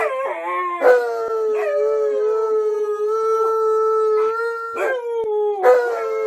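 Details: Alaskan Malamute named Tonka howling indoors while following its owner into the bathroom; a long steady tone near one pitch, dipping at the start and broken by short rougher yelps around one, five and six seconds, with rich overtones.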